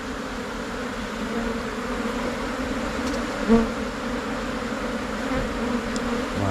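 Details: Thai cavity bees, Asian honey bees, moving as a swarm into a new hive box after splitting from their colony. Their buzzing stays even and low throughout, with one short louder knock midway.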